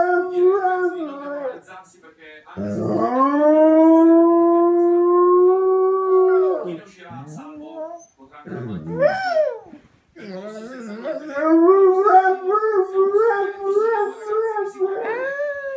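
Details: A Dogo Argentino howls for its mother: a steady, long-held tone lasting about four seconds, then short yelping breaks, followed by a wavering, pulsing howl that rises toward the end.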